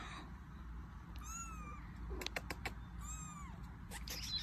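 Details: Kitten whose mother cat brought it to the household gives two high, thin meows about two seconds apart, each rising then falling, with sharp tapping clicks between them over a quiet background hum.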